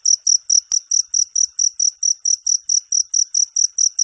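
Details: Cricket song offered as tutor material for songbirds; sharp, very high chirps in quick succession, around four each second, evenly spaced, with one faint click in the background.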